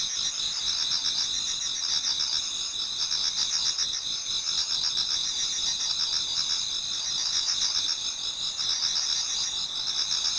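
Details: A Japanese garden in autumn before dawn, filled with many singing insects. A steady, ringing, high chorus of rapid pulsed trills layered in two pitches, with faint lower chirps beneath.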